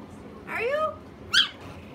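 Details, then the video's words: Chihuahua, described as talking: two whiny, drawn-out vocal sounds, the first sliding up then levelling off, the second a short, higher yelp about half a second later, indoors. "the amazing talking chihuahua"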